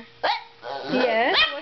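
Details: Boston Terrier at home, unhappy and wanting attention, gives a short sharp yelp, then a wavering whine that rises and falls in pitch and ends on a higher squeal.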